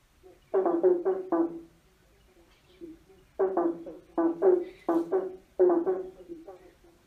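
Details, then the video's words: Croaking frogs beneath a bridge: clipped, resonant notes in groups of two to four, repeated after pauses of about a second. "Frogs singing under a bridge free sound effects croaking frogs singing"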